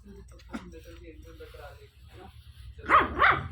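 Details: A 1.5-month-old Pomeranian puppy gives two sharp, high yapping barks after a stretch of soft voices.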